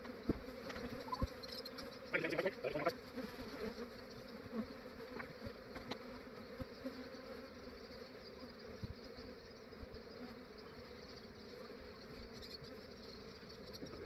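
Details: Buzzing of a massive honey bee swarm during early-morning capture by an Australian beekeeper; an unbroken hum of countless wings, louder passes of single bees near the start, and faint rustling from the work.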